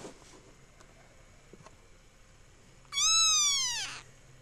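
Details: Young kitten mewing once, a loud, clear, high meow lasting about a second that bends slightly downward at the end, over a quiet indoor background.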